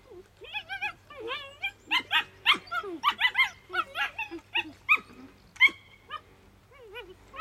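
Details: Saarloos wolfdog puppies, 51 to 52 days old, playing with rattle bottles, balloons and a tunnel and squabbling under a seesaw, give a rapid string of high yelps, whines and short squeaky barks, several overlapping.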